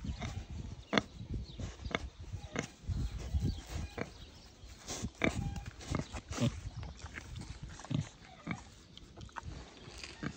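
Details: Two young wild boars kept as affectionate, growing companions, one recovering from a morning stomach upset; short low grunts repeat roughly every second over soft rustling, with faint human voices in the background.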